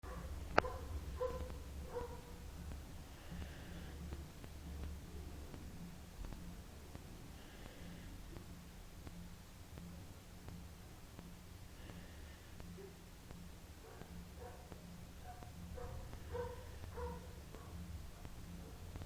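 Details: Samy, a female German shepherd puppy almost five months old, sleeps and snores: soft, breathy rasping snores return roughly every four seconds over a steady low indoor hum.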